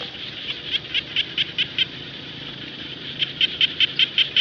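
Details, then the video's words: Frog known locally as khiat jana in the rice fields, giving two bursts of sharp, high clicking pulses, each about eight notes at roughly five per second, separated by a brief lull over a soft background chorus. "Frog Song (khiat Hong) ຂຽດຮ້ອງກ້ອງທົ່ວທົ່ງນາ"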